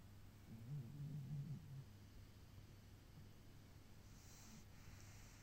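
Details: A single low, throaty snore about a second long from Torakichi, a pet cat fast asleep, followed by quiet indoor hum with a faint hiss near the end.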